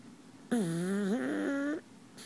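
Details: A male pug asleep in his owner's arms, giving one drawn-out, nasal, whistling snore of just over a second. The pitch dips, then climbs, against a quiet indoor background.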